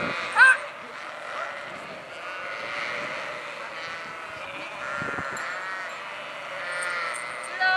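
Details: Sheep in a flock give drawn-out, quavering bleats that overlap for several seconds. A sharp click opens the recording, and a low hum runs underneath.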